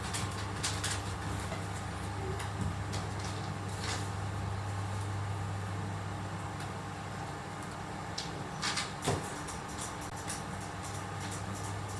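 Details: A steady low hum fills a room, broken by scattered clicks and rustling knocks, with no animal voice.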